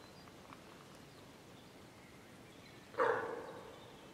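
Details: Deer hind calling for her calf after a group of wild boar came between them and separated the two; after a quiet stretch, a single short, harsh, nasal call bursts out and fades within about half a second.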